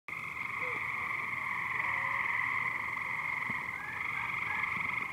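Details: Many frogs invading backyard swimming pools in Gas City, calling loudly: a dense, unbroken chorus of rapid trilling that merges into a steady buzzing drone with bright high overtones, lasting throughout with little variation.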